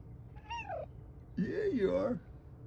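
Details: Very vocal pet cat, indoors near a window, trained to words and commands, makes two meows: a short falling mew, then after a pause a longer, wavering, nasal meow, in a quiet small room.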